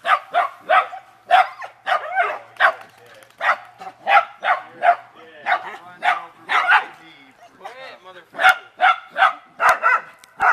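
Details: Playful beagle and dachshund dogs in water bark continuously, with roughly twenty short, sharp barks every half second or so and a person talking over them.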